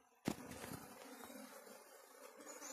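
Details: Honey bees in Barangay Santa Rosa, Maasin City, Philippines: a steady low droning hum with a higher overtone runs throughout, after a sharp knock at the start, over a broad rustling background.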